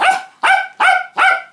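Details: Indoors at feeding time for a 49-day-old Cockapoo litter, mother Rosie barks: four loud, sharp, evenly spaced barks about half a second apart, with nothing else audible.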